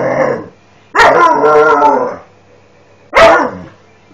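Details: Very displeased Alaskan Malamute during training; three loud, drawn-out grumbling howl-barks, the middle one over a second long and wavering, separated by quiet pauses.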